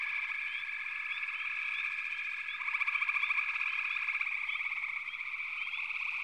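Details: Frogs chorusing in a backwater: a thick high drone with frequent short rising chirps over it. A loud pulsed trill comes in mid-clip, then fades.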